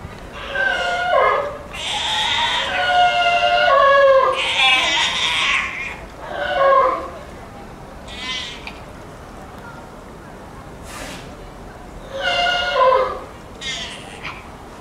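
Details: Young sea lion named Jos at Blijdorp zoo on 13 September 2022 gives loud, wavering, bleat-like calls, rich in harmonics, in repeated bursts.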